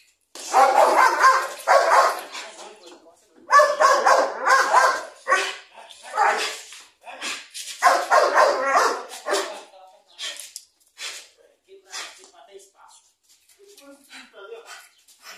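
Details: Eight-month-old Belgian Malinois puppy during its first attack test for guard-dog training, gripping and tearing a sandal from the handler's hand; bursts of rough, harmonic barks in rapid runs over the first ten seconds, then fading to scattered sounds, with a person talking.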